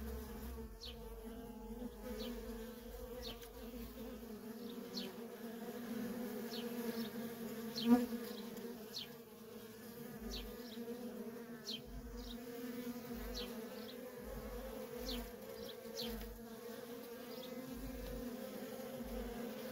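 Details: A feral honey bee colony busy with constant worker traffic: a smooth sustained hum, many short whining passes of individual bees, one sharp click near the middle and intermittent low thumps.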